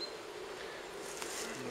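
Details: Wild honey bee colony near Kiev, Ukraine, its four-comb nest on a fallen tree close to the forest floor, being smoked and moved into a hive; a steady low droning hum runs throughout, with faint hiss above.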